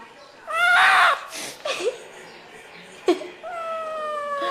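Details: A cat gives a loud, drawn-out meow that rises and then falls, followed by shorter, quieter mewing and a final long, falling meow, with brief knocks in a small indoor room.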